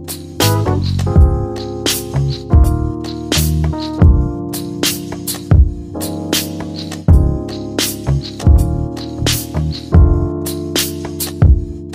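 Rhythmic music with deep bass, keyboard chords and sharp percussive hits plays throughout, with no animal sound.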